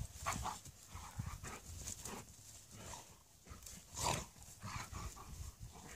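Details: Friendly wrestling between a Malamute and a Husky: short rough growls and snorting huffs arrive every second or so, with a louder burst around the fourth second amid steady low rumbling and rustling.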